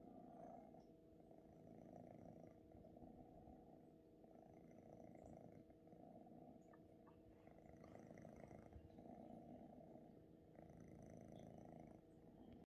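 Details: Male Ragdoll kitten purring while kneading, a soft, continuous low rumble with fast, steady pulsing throughout, recorded very quietly and up close.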